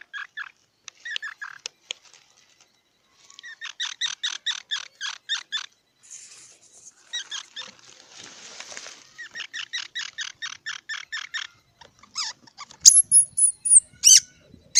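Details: Squirrel repeating rapid series of sharp squeaky chirps in several long runs, broken by a hissing noise, and ending with high, piercing whistled squeals.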